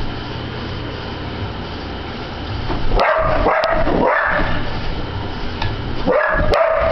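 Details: Fixated on a spinning ceiling fan in June 2009, a Border Collie named Sophie breaks the steady fan hum with a quick burst of three barks, then one more sharp bark a couple of seconds later.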